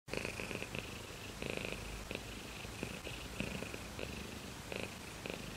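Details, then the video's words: Domestic cat purring, a steady low rumble with rhythmic breathing pulses, brighter bursts recurring roughly every half second to second, close and indoors with no other sounds. "ごろごろしろ Cat purr"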